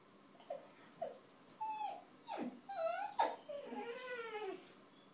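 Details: Basenji mix dog singing a little song indoors: two short soft yips, then longer yodel-like wavering tones that bend up and down, rising to a loud peak before trailing off in a descending warble.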